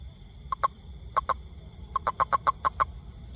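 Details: Toad giving short knocking croaks, first in spaced pairs, then a quick even series of about eight pulses, against low background hum.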